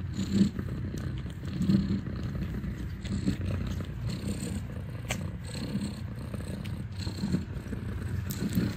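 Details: Domestic cat purring while kittens nurse, indoors at a cat cafe in Ho Chi Minh City, Vietnam: a deep, continuous rumbling purr that swells and eases with each breath, roughly every one to one and a half seconds.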